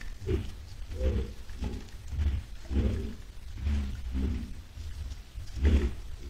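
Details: Heading to a salt lick on 10 July 2022, a herd of white-lipped peccaries utters low, hoarse grunts about once a second, irregular and overlapping, over faint rustling.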